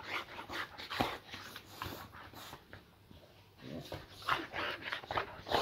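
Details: Pet Boxer Layla welcoming her owner home indoors with playful fake aggression; excited whines and whimpers with panting and snuffling bursts, a quieter pause midway, then rising yelps again.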